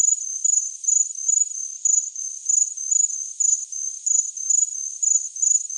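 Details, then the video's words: Cricket chirping in short, high, thin pulsed bursts, roughly two per second with slightly uneven gaps, a steady narrow tone and no other sounds. "Chirping Cricket"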